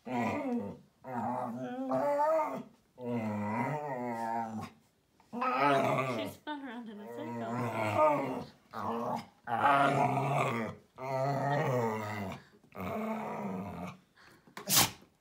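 A Vizsla grumbles and moans in long, wavering bursts broken by short pauses.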